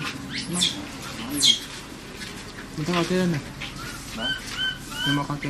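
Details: A baby Asian macaque, trapped and extremely scared, gives shrill, steeply falling screams and high chirping cries of distress, calling for help, with human voices nearby.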